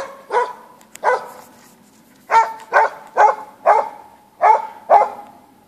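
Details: Bay-barking Norwegian Elkhound on a hunt in Sorsele woodland, Sweden: seven loud, ringing barks at an uneven pace of about two a second, each with a brief tonal tail.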